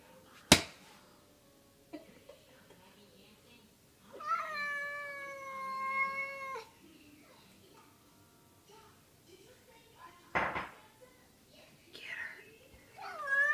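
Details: Pet cat Kitty Belle indoors, one sustained wavering meow of about two seconds between sharp knocks and clatter, with a brief fainter mew near the end.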